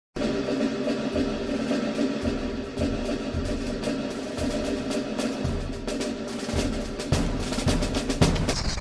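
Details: Rolling drums, timpani and wood-block percussion fill the recording, with no animal sound present.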